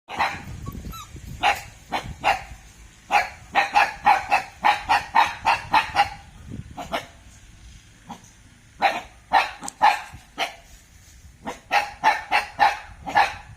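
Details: Thai Ridgeback dog, alert and roused, barking in loud sharp bursts: a fast run of about a dozen barks, a short pause, then more clustered volleys, roughly two barks per second.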